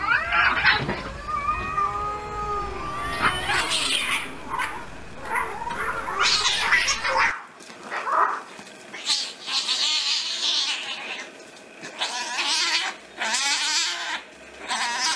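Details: Angry stray street cats fighting: long harmonic yowls open the stretch, then harsh spitting hisses and noisy screeching bursts repeat in ragged bouts, with brief quiet gaps between outbursts.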